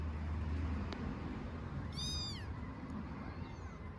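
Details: Tiny homeless kittens living on an Istanbul street, fed daily as strays, crying as if not wanting their visitor to go: one thin, high-pitched, slightly falling mew lasting about half a second, over a steady rumble of traffic.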